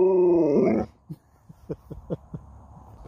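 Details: Sherpa, an Alaskan Malamute that talks back when spoken to, out early on a warm morning: one loud, drawn-out, wavering harmonic moan that lifts at its end, then soft rhythmic clicks and breaths.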